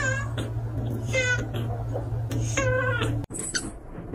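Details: Pet cat meowing repeatedly, short rising-and-falling mews in quick succession over a steady low electrical hum, with a clatter near the end.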